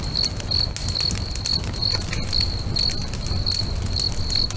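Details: Crickets singing beside a crackling bonfire by a lake at sunset: short high chirps pulse steadily about every half second over constant low fire rumble and sharp crackling pops.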